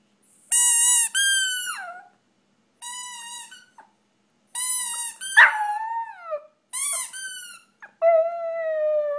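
A Shih Tzu howls in high, tuneful bursts, some notes sliding downward, with brief pauses between.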